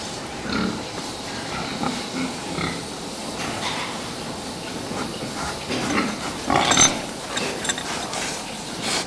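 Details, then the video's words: Pigs being fattened give soft, low, intermittent grunts amid a steady barn hiss, with a brief sharper squeal near the end. "prasata výkrm"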